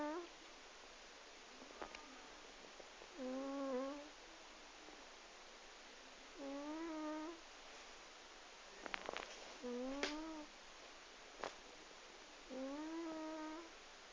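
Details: Loud snoring from an asleep 12-year-old house cat. Five steady, tonal, humming snores come roughly every three seconds, each about a second long. A few sharp clicks and knocks occur between breaths.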